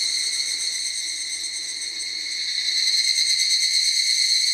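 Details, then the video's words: Higurashi cicadas singing together as a group in a forest; a dense, ringing chorus of stacked high tones, pulsing steadily, growing louder about halfway through and holding strong to the end. "ヒグラシ / Cicada forest"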